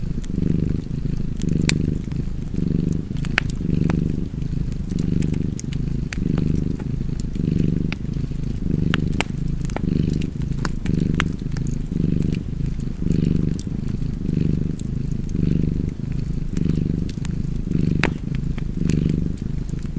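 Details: Cozy domestic cat purring beside a fireplace: a deep, steady rumble pulsing with each breath, about fifty cycles a minute, while sharp fire crackles pop throughout.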